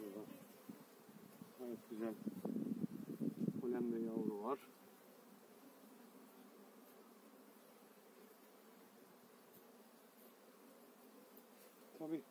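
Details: Honey bees from eight frames transferred to a new hive in spring; loud handling noise and a brief voice in the first seconds, then an even, low colony hum continues undisturbed.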